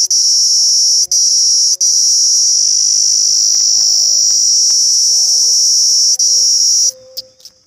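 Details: An Indian cicada sings a loud, steady, high-pitched buzzing drone that stops abruptly near the end.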